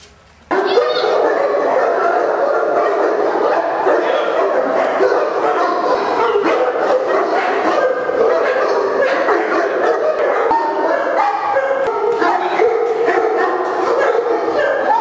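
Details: Many large dogs, St. Bernards, English Mastiffs and French Mastiffs, at a big kennel in India, bark and yip continuously in an overlapping din, with no single dog standing out and no pauses throughout.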